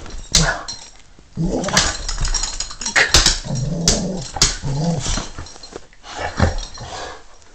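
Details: A dog named Stanley growling low and rumbling in several drawn-out bursts from about one and a half to five seconds, with sharp clicks and thumps between them and a brief exclamation from a person near the start.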